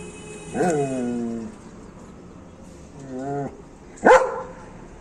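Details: Dog among guard dog breeds giving two drawn-out whining yelps, then a single sharp bark, over steady low hiss.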